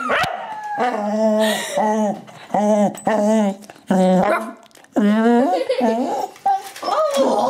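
A Cocker Spaniel 'sings' in drawn-out, wavering howls that rise and fall in short bursts.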